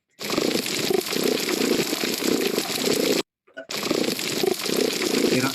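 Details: A sergeant major fish (Abudefduf saxatilis) purrs underwater, a low rhythmic pulsing rather like a contented cat, with a faint high-pitched sound at the end of the recording.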